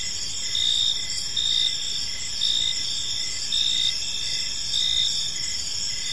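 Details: Crickets in a park as evening falls, high continuous trilling with louder chirp bursts returning about every second, set against a faint background hum.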